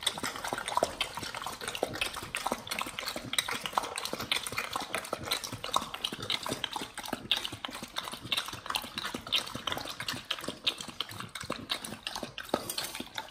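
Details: Raw-feeding Pit Bulls tearing into raw beef chunks, quail egg and duck wing in a close ASMR mukbang recording; steady, rapid, moist clicking and squelching chews crowd the whole stretch without pause.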